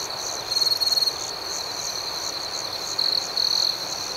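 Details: Night crickets: two bursts of fast, buzzy pulsed trilling stand out, the first about half a second long near the start and a double burst toward the end, over a constant high-pitched insect drone.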